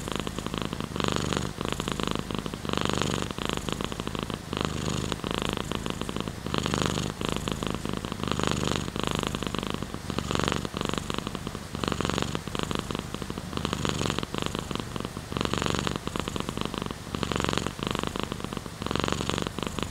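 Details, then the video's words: Pet cat purring steadily near the microphone, a low grainy rumble rising and falling in a regular breathing rhythm throughout, without pauses. "Cat's Purr"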